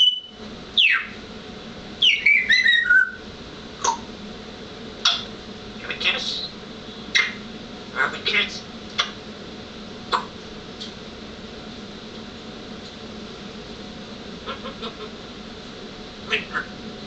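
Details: Taipa the cat chatters indoors: a rapid cluster of high, sharp chirps and clicks in the first few seconds, then scattered single ticks and short chirps across the rest, over a quiet room hum.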